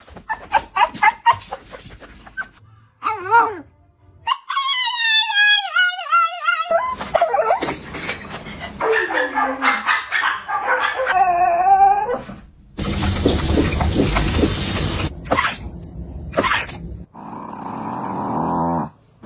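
A Shih Tzu gives a run of varied sounds: sharp yips, long tonal whines and a wavering howl.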